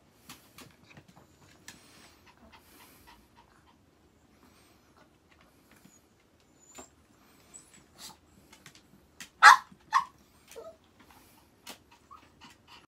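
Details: Pet Chihuahua while its toilet is being changed: scattered clicks, taps and rustling handling noises, then two loud, high yelping barks close together, followed by quieter ticking and shuffling sounds.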